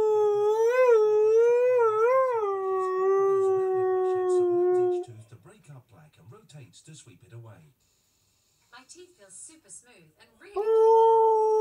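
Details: Pet Husky/Malamute singing to television adverts indoors: wavering howl with two warbled swells, sliding gradually lower, then fading into quieter TV speech and murmurs before a strong howl starts again near the end.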